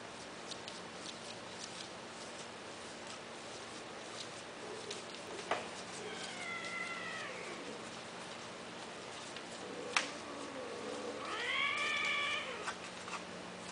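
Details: Male cats kept for mating at the Wahat Al-Reem cattery, indoors in a small room; two fairly faint, drawn-out harmonic meows, the first wavering and falling, the second rising then bending down, over a steady low hum and scattered soft ticks.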